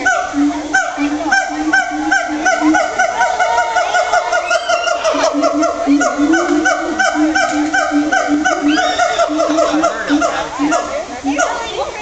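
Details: Captive siamangs at Woodland Park Zoo in Washington calling together in a session said to last 15–20 minutes: loud, honking hoots rapidly repeated, with rising and sliding whoops overlapping throughout, continuous and intense.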